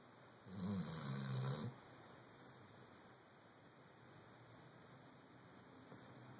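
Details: Sleeping chocolate Labrador Retriever snoring, said to sound like a human: a single deep, rumbling, low-pitched snore of just over a second, followed by quiet steady hiss.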